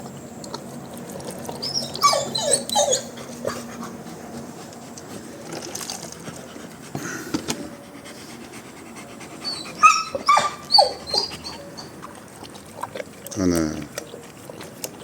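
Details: Wolfdog found in a garden and taken in for protection: thin high whines and whimpers in short bursts, with panting and rustling nearby.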